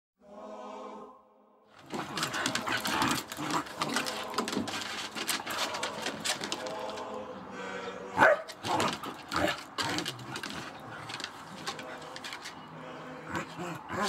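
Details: Two pet dogs, Cleo, a terrier cross corgi, and Monty, a Cocker Spaniel, play fighting together: after a brief steady tone at the start, a dense, rough stream of growls and snarls broken by sharp yaps and snaps runs throughout.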